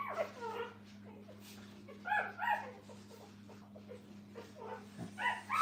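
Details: Puppies with their mother at a training kennel: short high whimpers and yips in bursts near the start, around two seconds and at the end, with quieter gaps between and a steady low electrical hum throughout.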